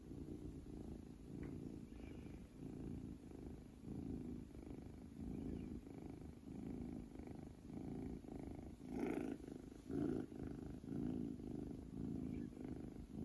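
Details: Mayu, a male munchkin kitten born June 2020, snores while sleeping indoors, with soft low rasping breaths about once a second in a steady rhythm and a slight rise in loudness near the end.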